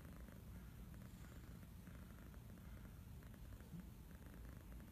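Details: Domestic kitten purring while serenading its owner: a soft, steady low rumble that runs unbroken through the whole stretch, quiet and even in rhythm, with faint background hiss and no other clear sounds.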